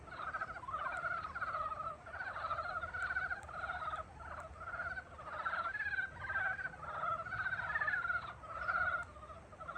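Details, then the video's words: Frogs heralding spring with a steady chorus of buzzy, rapidly pulsed croaks, many callers overlapping in surging phrases, a few faint clicks in the background. "봄을 깨우는 개구리 울음소리"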